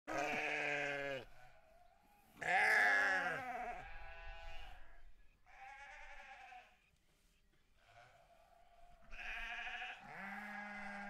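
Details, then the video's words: Sheep on a farm bleating: long, wavering, harmonic bleats about a second each, separated by short pauses, with a loud bleat near the start and overlapping bleats of different pitch toward the end. "Sheep farm"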